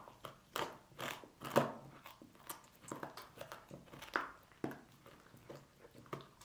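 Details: Dog (Canis familiaris) eating pork bones, crunching and gnawing with sharp cracks and wet chewing at an uneven pace.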